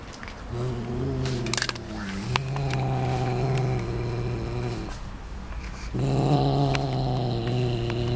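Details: Canadian Sphynx cat making funny sounds while eating: a low, droning, growly hum with strong overtones, held for several seconds, briefly breaking off and then resuming, with a few faint clicks over it.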